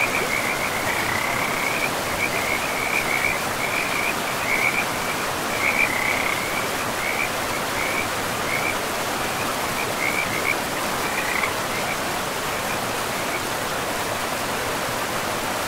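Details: Forest river frogs, by moss-covered banks, sound rapid, high, chirping trills strung together for about twelve seconds, then falling quiet, while the river keeps up an even roar underneath.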